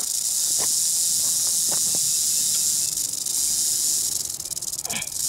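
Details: Prairie rattlesnake from Northern Oklahoma, filmed in 2018 after it struck a phone photographing it, keeps up an unbroken, dry, high-pitched rattle buzz, with scattered clicks and handling knocks and a brief swish near the end.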